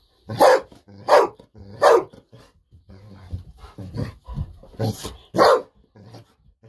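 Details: A happy, treat-hungry Golden Retriever, Bis, barks insistently in a room, kept waiting until it quiets. Three rapid loud barks, softer huffs and grumbles, then two more sharp barks.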